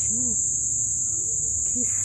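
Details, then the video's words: Many crickets calling at a colorful sunset after several days of heavy rain: a steady, unbroken high shrill ringing that holds level throughout, with faint low voices of people talking underneath. "E muito, muito, muito barulho de grilo..."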